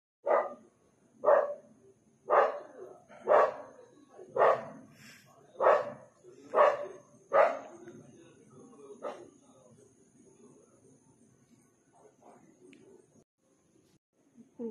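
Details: Dogs barking on a street late at night around midnight; about eight sharp, loud barks come roughly once a second, then fade into quieter scattered yelps and low background murmur.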